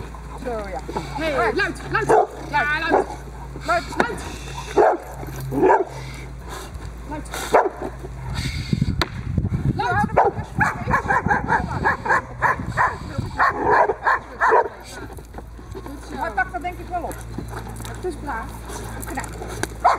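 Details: Diesel v. Ons Hullekke, a Boxer working dog, barking during protection bite work on the table for the third time; uneven runs of deep barks across the whole stretch, mixed with human voices and handling noise.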